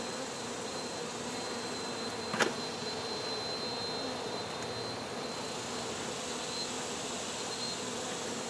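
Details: Swarm of honey bees disturbed during hive removal, giving an even, unbroken buzzing drone with a faint high tone above it and one sharp knock early on.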